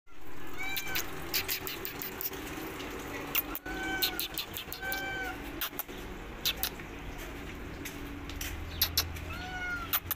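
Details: Mother cat fleeing from a person following her as she heads to her kittens; short arched meows come in small clusters, spaced a few seconds apart, over sharp clicking taps and a steady low traffic hum.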